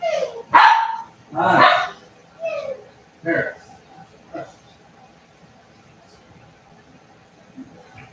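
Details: Cavalier King Charles Spaniel puppies playing indoors in the home where they are raised: a run of loud, sharp yapping barks with falling pitch, five bursts in about four seconds, then quieter room noise with faint thumps and a voice.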